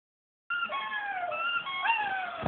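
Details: A puppy sings along to the squeaks of his plastic turkey toy with high, wavering howls that slide up and down in pitch, overlapping the toy's thin squeaks.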